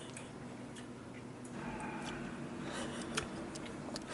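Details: Quiet indoor room tone with faint scattered ticks and clicks, no animal voice heard.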